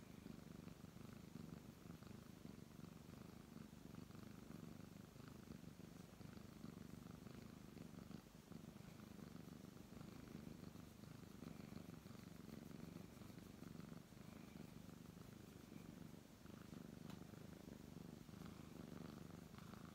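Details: Brown tabby domestic cat purring steadily while being stroked indoors, a continuous low rumbling vibration with even loudness throughout, faint soft rustling of hands on fur in the background.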